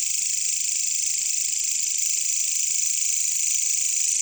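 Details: Katydids, also called bush crickets, in jungle: an unbroken, even, high-pitched shimmering buzz with no pauses, and no other clear sounds.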